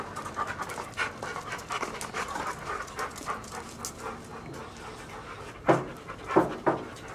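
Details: Big dogs of a large family, including a one-year-old female Siberian Husky and two seven-year-old dogs with arthritis, pant softly. Rapid, steady, breathy puffs are followed near the end by a few sharper, louder clicks.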